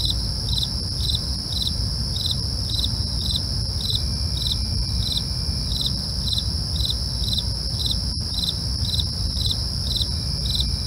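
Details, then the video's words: Night crickets chirping in a regular high pulse about twice per second, layered over constant shrill insect trills and a low rumble, one brief click near the end. "night crickets asmr"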